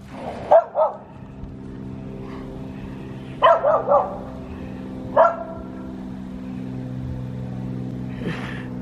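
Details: Reese, a pet dog, barking at passing cars on 29 January 2024, urged on to speak: sharp barks in pairs and threes with long gaps, over a steady engine-like hum and road noise.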